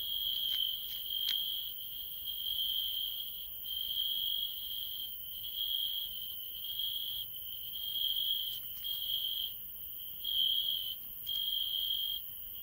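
A field cricket gives a bright, high-pitched chirping song, its pulses running together into a near-continuous ringing trill. Brief gaps and slight swells in loudness break the stream every second or so.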